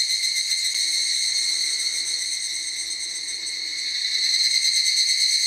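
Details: Forest chorus of many higurashi cicadas: constant shrill, metallic ringing, slightly softer in the middle and swelling louder near the end, with fast pulsing in the tone.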